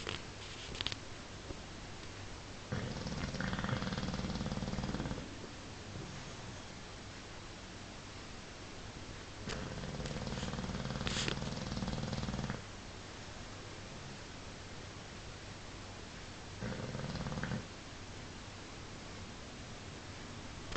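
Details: Paul the bulldog snoring while asleep: three long, rasping, buzzy inhalations about six seconds apart, each lasting two to three seconds, with quiet breathing in the gaps between them.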